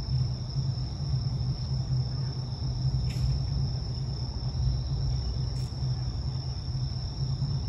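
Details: Night insect chorus of bell crickets in a Sumida park in Tokyo beneath the illuminated Skytree on September 3, 2022, phone recording: unbroken high-pitched ringing drone, two brief clicks, and a constant low urban hum underneath.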